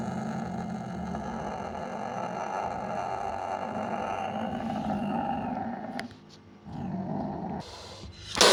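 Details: Sumatran leopard cat (kucing kuwuk) sustaining a deep grating growl for about six seconds, followed by a sharp click, a shorter renewed growl and a final burst of hissing.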